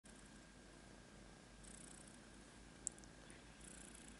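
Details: Domestic cat purring indoors, a steady low rumbling throb that runs unbroken under a soft hiss, with one sharp click near the end.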